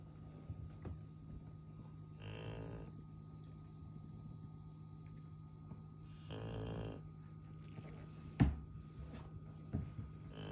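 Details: Napping golden retriever gives slow rasping snores roughly every four seconds, each under a second long, above a constant low background drone and an occasional sharp knock.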